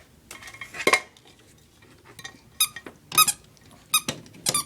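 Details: A female puppy named Leah, upset by a hair dryer in a room, mixes harsh noisy bursts with high squeaky yelps in small clusters, irregular and agitated, alongside faint clinking and handling sounds.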